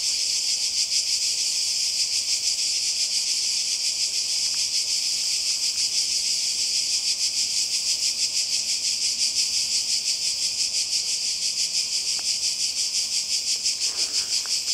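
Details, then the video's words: Summer cicada chorus on the Croatian coast, 2020. A continuous shrill hiss pulses rhythmically about three times per second throughout, with a soft swishing sound near the end. "Kroatien Zikaden und Meer"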